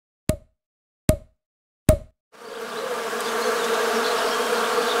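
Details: Three sharp knocks, then a steady, rich hum of many honey bees buzzing together in the Morbihan countryside, Brittany, France, in winter on 1 January 2022.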